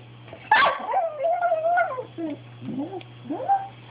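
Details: Pet dog Bailey, pushing to get what he wants, lets out a sharp yelp that melts into a wavering drawn-out whine, followed by shorter rising whimpers; constant low hum in the room.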